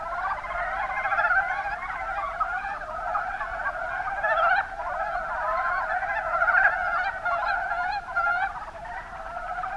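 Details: Mountain brown frogs, Rana ornativentris, from the Kuma Basin in Kumamoto, Japan, form a thick, unbroken chorus of low, rattling croaks, pulses overlapping densely and holding an even level across the whole recording.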